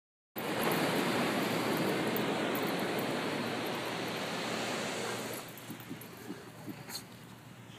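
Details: A beach dog's digging makes a loud, steady rush of scraping sand for about five seconds, then quieter scattered scuffs with faint surf behind; no animal voice is heard.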